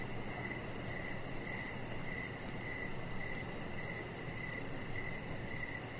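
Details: Crickets chirping outdoors in the evening beside a deck: regular brief pulses, about two per second, over a faint high trill and a dull low background drone.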